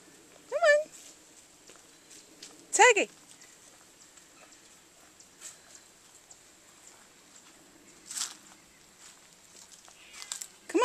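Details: Domestic cat named Tiger, a female in new surroundings, unsure where to go, gives three drawn-out, wavering meows: one early, one falling in pitch around three seconds, and a last rising one at the end. A person calls her between them, with faint rustling.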